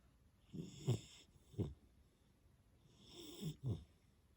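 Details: Sleeping black male Labrador Retriever puppy Muni, three months old, snoring in two paired rounds: a soft, breathy inhale followed by a sharper, low snorting rasp, the pairs roughly two seconds apart, in an otherwise quiet indoor setting.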